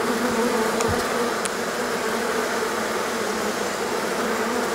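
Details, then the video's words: Swarming honey bees leave their hive on a hot day after a long rainy, cold period; a thick, continuous buzzing drone of many wings, with a couple of short sharp ticks early on. "Abeilles. Essaimage d'une colonie"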